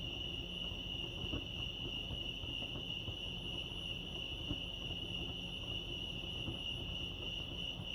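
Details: At Lake Arrowhead, California, crickets sing a constant high, even trill that never pauses, set against a dull low-frequency hum.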